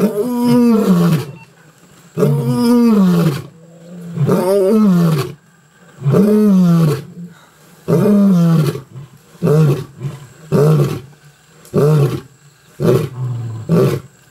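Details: Roaring sequence from Mapogo lions in the bush: several long, deep, falling roars that give way to shorter grunts repeated about every second, the series fading out as it goes.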